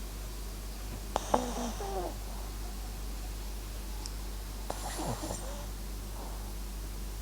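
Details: Two brief snuffly snores from MAX, a dozing Papillon crossed with Japanese Chin, each a short raspy inhalation followed by quiet, over a faint steady background drone.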